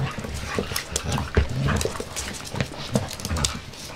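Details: Five-month-old puppy Jessie playing: short low grunts and huffy breaths come in quick bursts about every half second, among crisp tapping and scrabbling noises.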